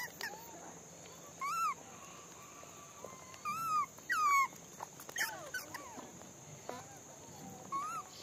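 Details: Monkeys at feeding time give short whistled calls that rise and fall in a hump, some with a sharp upward sweep, scattered through the stretch among softer overlapping calls and a constant high-pitched hum.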